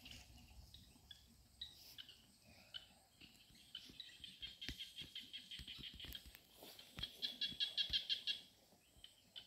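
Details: Small frogs calling beside a stream give high, clicky notes in quick runs that swell louder toward the end.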